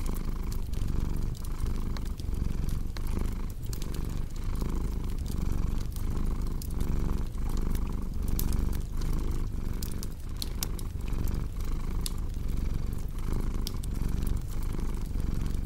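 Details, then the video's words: Continuous deep purr from a cat, pulsing in slow breath-paced waves about every second, with frequent snapping fireplace crackles scattered over it throughout. "Purring Cat with Cozy Crackling Fireplace Sound"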